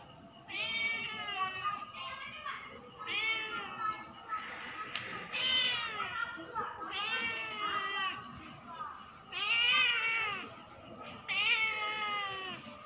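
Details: A cat meowing over and over at night: a series of drawn-out, arching meows, each about a second long, coming in bursts every couple of seconds, with a steady high electronic whine in the background.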